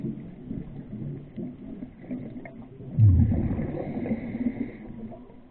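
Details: Grey whale song recorded underwater off Laguna Beach: low, rumbling moans swell midway, with a faint drawn-out higher tone above.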